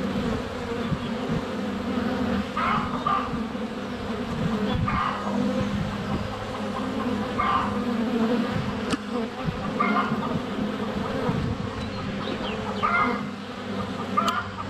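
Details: Up-close honey bee buzzing at a hive entrance, sunny February day, GoPro Hero 7 Black less than a foot from the hive; constant droning hum with occasional taps of bees landing on the camera and distant birdsong.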